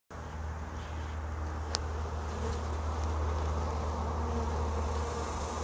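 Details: Honey bees on the first day of a trap-out, a dense steady droning hum that holds low and even throughout, with one brief sharp click partway through.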